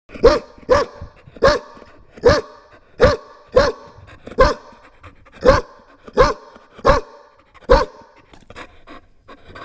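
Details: Chow Chow puppy barking very loudly: about eleven sharp, deep single barks at uneven spacing, roughly one every half to one second, followed by softer panting sounds.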